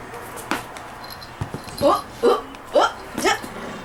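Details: Toy poodle named Da-Ji at play indoors: short rising whines in four quick bursts about every half second, with soft human voices and thumps in the background.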